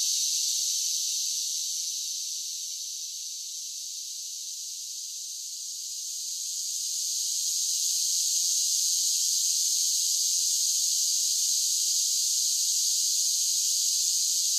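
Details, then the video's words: Cicadas in summer make an unbroken high, hissing whine that softens for a few seconds in the middle, then swells back to full strength and holds steady. "10 Hours of Cicada Sounds for Relaxation with Soothing Summer Nature Sounds"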